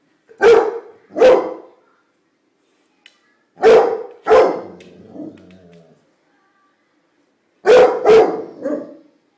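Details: Pit Bull puppy attacking a bunch of flowers, giving short, punchy barks in quick pairs separated by pauses of about two seconds, six barks in all, with a faint growly tail after the middle pair.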